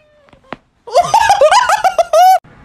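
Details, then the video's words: Cooter, a talking cat, answers affectionate words with a rapid string of bright, wavering vocal notes that rise and dip, ending in one longer drawn-out tone, after a couple of soft clicks indoors. "Cooter the talking kitty"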